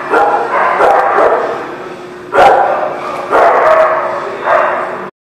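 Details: Dogs barking at The Barking Lot on 17 November 2018, a few loud harsh barks in bursts about a second apart, ending abruptly.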